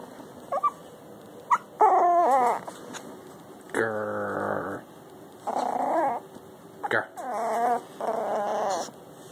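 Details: Miniature Schnauzer puppy seeking attention, producing a series of whiny, wavering growls and yips in bursts about a second long with short pauses, some sliding up and down in pitch, in a quiet indoor room.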